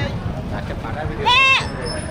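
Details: Castrated male goat at a 2025 Qurbani livestock market in Bangladesh, giving one short wavering bleat amid constant crowd chatter and market bustle.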